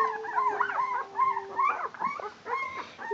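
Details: Barbet puppies, 12 days old, staggering around on their legs as they begin to walk: a stream of high, wavering whimpers and squeaks from several pups, with a long thin whine beneath.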